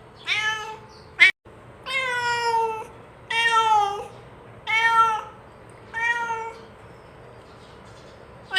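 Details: Domestic cat calling companions to eat together, giving five drawn-out harmonic meows of about a second each, spaced irregularly, with a sharp click near the start and a quiet indoor background.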